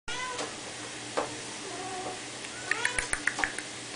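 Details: Three-week-old Abyssinian kittens, fawn-coloured sisters, giving thin, high mews with rising and falling tones, a few near the start and a quick cluster of short chirpy squeaks toward the end, over a steady low hum.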